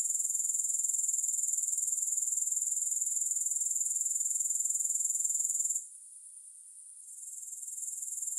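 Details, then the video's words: Continuous bright, high chirring of grasshoppers beats in fast regular pulses, about four per second. It fades sharply for about a second toward the end before returning. "Grass Hopper Sounds"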